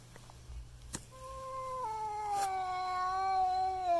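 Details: A cat frightened by a custom-painted goat skull mask at Halloween gives a long, drawn-out yowl that holds steady, then sags slowly lower.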